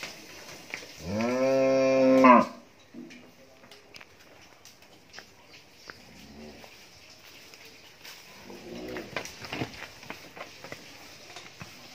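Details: A 15-month-old Friesian heifer calf on a dairy farm in Bhangura, Pabna, Bangladesh, bred a month earlier, gives one loud harmonic moo lasting about 1.5 seconds, followed by a couple of faint low lows and indoor clatter.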